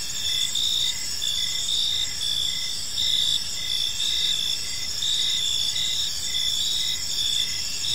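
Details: Crickets chirping on an evening in a peaceful park, a dense high-pitched chorus with steady trilling bands and short pulsed chirps repeating about twice a second, over faint low rumble.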